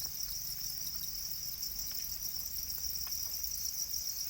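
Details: Domesticated Para crickets, also named black crickets, giving a constant bright, rapid chirping chorus, steady in loudness, over a faint low rumble.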